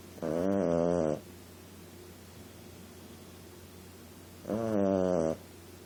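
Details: Sleeping female Boston Terrier puppy gives two long, rasping, layered snores about four seconds apart, each lasting close to a second, separated by near-silence and soft background hiss.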